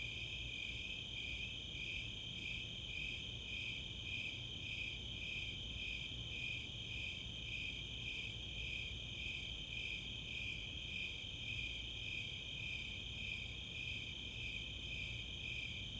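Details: Night chorus of Snowy Tree Crickets and Four-spotted Tree Crickets in summer at Chautauqua, Boulder, Colorado: regular high chirps near two per second over a continuous trill, with a few sharp very high ticks, the Greater Angle-wing Katydids, midway.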